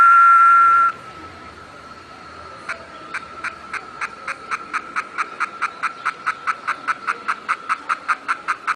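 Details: Cicada, known in Nahuatl as chikilichi and believed by some to predict rain, gives a steady high buzzing tone that breaks off, then a run of sharp pulsed clicks repeated about twice a second, growing louder toward the end.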